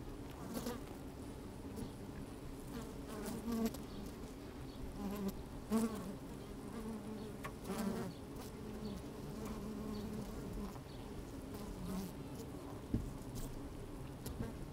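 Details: Honey bees busy at an open hive on a sunny, slightly windy day, recorded with the microphone down inside the hive; a steady low drone with brief buzzing bursts and faint scraping and rustling of bees moving about.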